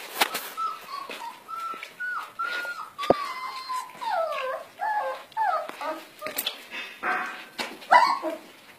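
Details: German Shepherd puppies whimpering and whining: a run of high, wavering, sliding whines and yips, rising and falling in pitch, with some clattering knocks.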